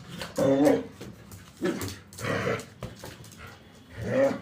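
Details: German Shepherd at play with a balloon, giving short whining and growling vocal bursts, about four separate sounds spaced roughly a second apart, with rustling between them.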